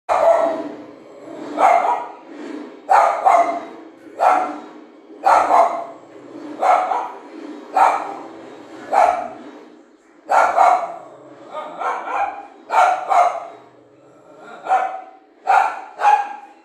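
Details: An angry Lhasa Apso barking in a steady run of sharp, mid-pitched barks, roughly one every second or so across the recording, some coming in quick pairs, with no other clear sounds.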